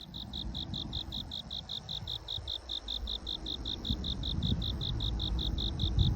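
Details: A cricket heard during the day chirps steadily, a high, clear pulse repeated about five times a second over a low rumble.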